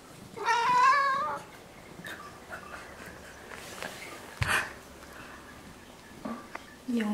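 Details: A Ragdoll cat from a home with eleven Ragdolls in South Korea utters one brief, quavering meow near the start, then the room goes to a low hiss with a knock and faint human voices.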